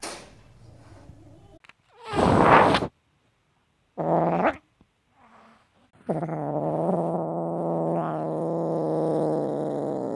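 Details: Caged, angry Siamese kitten wanting out gives a harsh breathy hiss, then a short growling burst, a pause, and a long steady low growl lasting about four seconds, slightly wavering throughout.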